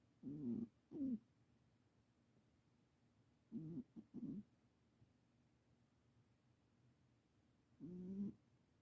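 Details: Snoring from a just-adopted ten-year-old Himalayan cat: short droning nasal snores in pairs, a double breath at the start, another pair near the middle, then a single longer snore after a pause.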